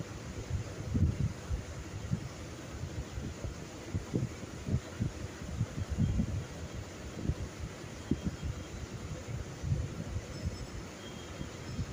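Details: Low thumps and rustling handling noise over a faint hum, with no animal voices.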